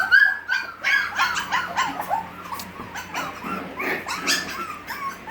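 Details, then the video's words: Puppies at six weeks old yelping and whimpering together, short high-pitched squeaks and yips tumbling over one another with rising and falling whines, a faint steady hum underneath. "Gracie's puppies at 6 weeks old part 2"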